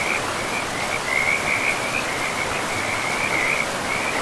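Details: Chorus of frogs at a river in pristine forest: an unbroken, slightly wavering high trill runs for the whole stretch, layered over loud, steady river noise.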